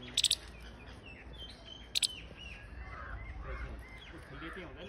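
A Siberian chipmunk gives sharp, high chipping calls, short clusters spaced a couple of seconds apart.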